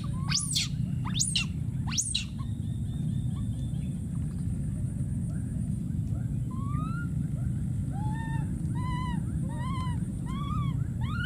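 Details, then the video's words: Three piercing rising screams from a wild baby monkey calling for his friend, followed after a pause by a series of short arched whining calls that quicken toward the end, over a steady low rumble. "this p.o.o.r wild monkey baby keeps s.c.r.e.a.m.i.n.g and calling for his friend"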